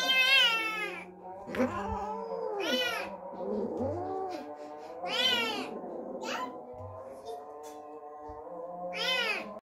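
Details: Cat caterwauling inside a home where an unfamiliar kitten has just arrived; repeated piercing yowls every couple of seconds over a steady low background drone, with occasional soft thumps.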